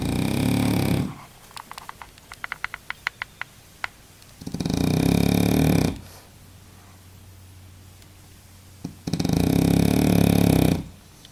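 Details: Deep in an afternoon nap, Baboo the French bulldog gives three heavy, grating snores, each one or two seconds long, separated by quiet pauses with a few light clicks in a small room.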